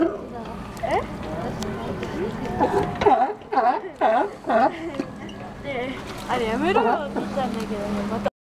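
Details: California sea lions at Santa Cruz, California, barking: a run of harsh, wavering barks in quick succession, several animals overlapping, with splashing water beneath.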